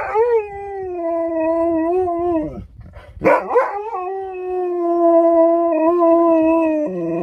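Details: Sherpa, a pet Alaskan Malamute, howling indoors at home: long sustained tonal howls with steady pitch and slight wavers, broken midway by a short rough bark-like burst, then resuming as a long level howl.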